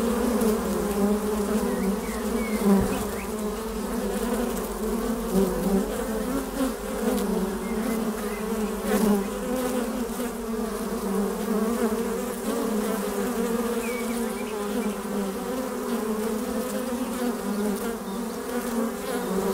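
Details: Many honey bees buzzing at the hive's flight entrance while a beekeeper watches them fly: continuous low humming drone with slight waverings, individual bees passing a little louder now and then, and faint brief higher chirps.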